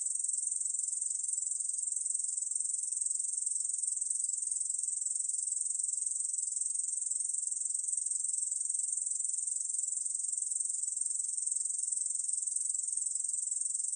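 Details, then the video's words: Ussuri bush cricket (중베짱이), recorded in 2020: a continuous, dense, high-pitched buzzing trill that holds steady and unbroken for the whole stretch, with a finely pulsed texture and no other sounds. "중베짱이, 여러번 듣기, 곤충소리"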